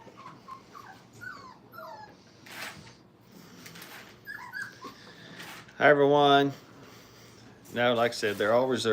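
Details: Five-week-old Brittany puppies learning crate training: faint whimpers and squeaks early, then two loud, wavering harmonic cries, one near the sixth second and another near the eighth, with soft background voices.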